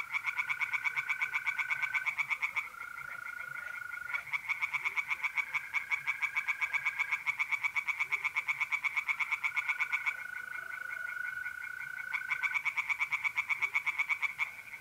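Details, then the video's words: Mid-April night at a pond in north-east Italy, tree frogs calling in long runs of fast, rattling pulsed notes broken by brief gaps, while mole crickets keep up a continuous even trill beneath. "relaxing singing tree frogs in pond and trilling mole crickets by night"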